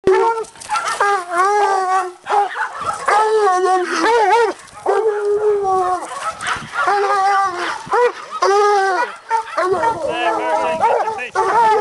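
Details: Bluetick and walker coonhounds working a caged raccoon in a hanging cage, baying together: long drawn-out bawls with bright harmonics, overlapping howls and chops from two dogs, with short pauses between bursts.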